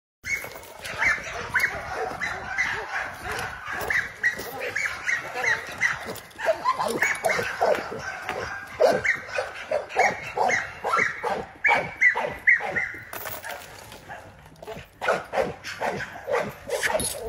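An American Pit Bull Terrier barks in quick, repeated bursts, some sharp and some more drawn out.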